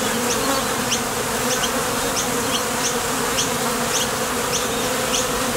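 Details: Honey bees at the entrance of a top bar hive, flying out to forage for nectar and landing back. Dense, steady hum with a low droning tone, plus faint, evenly spaced high ticks repeating about twice a second.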